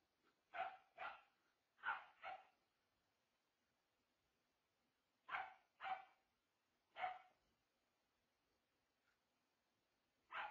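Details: Pet dogs Nugget, a Corgi/blue heeler mix, and Charli, a larger Shepherd mix, newly joined the household; barks come in loose clusters of two or three sharp woofs separated by several seconds of quiet.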